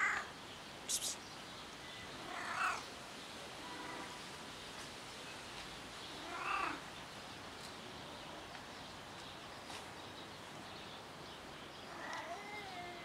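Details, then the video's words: Cat rolling on someone's car, making weird cat sounds: four short, strained meows spaced several seconds apart, some rising and bending, over a steady quiet outdoor hiss with a few sharp high clicks. "Cat rolls on someone's car and making weird cat sounds!"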